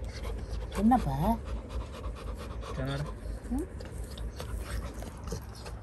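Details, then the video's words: Little John, a Labrador Retriever puppy, crying because he is scared of something: a few soft, wavering whimpers, one rising at the end, mixed with steady panting over a hissy indoor background. "My Labrador puppy crying scary made me emotionally sad"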